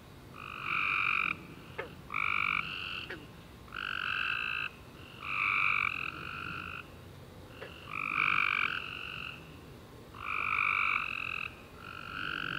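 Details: Tree frogs chirping at night after a rainy summer day, several overlapping callers giving steady buzzy trills of about a second each, repeated roughly every two seconds, with brief clicks between.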